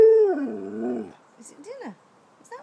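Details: Pet dog asking for his dinner: a long descending whining howl fading out, followed by short rising and falling yelps while a person asks whether it is dinner.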